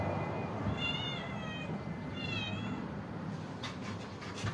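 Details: Cats and kittens waiting to be fed: two short, wavering, slightly falling meows about a second apart, over a steady low hum, with a few faint clicks near the end.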